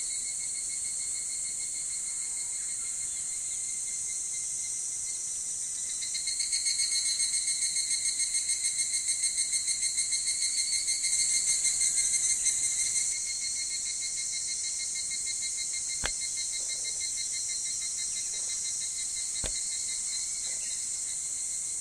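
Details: Higurashi cicada calling at dawn in summer at Ishiguro, Japan: a steady, high insect drone, then a loud, rapidly pulsed trilling phrase lasting about seven seconds. The drone continues after it, with two sharp clicks near the end.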